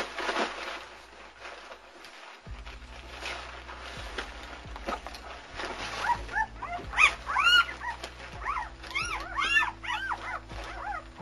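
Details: Newborn German Shepherd puppies from the Anarchy and Core litter, born February 18, 2009, at Vom Barron's Pride kennel; after a noisy start, high arched squeaks and whimpers rise and fall in quick bursts over steady background hum.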